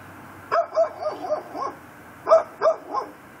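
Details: Neighbor's pit bull, tied on the front porch in Chalmette, Louisiana, at 10:30pm on December 18, 2012, gives two quick runs of sharp barks, four then three, against a quiet night background.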